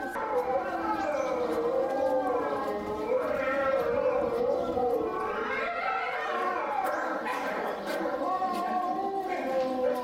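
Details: Chinese wolves howling together at Tennoji Zoo, filmed between September 2022 and January 2023: several long, smooth, overlapping howls slide up and down, some voices rising while others fall, forming a continuous layered chorus for about ten seconds.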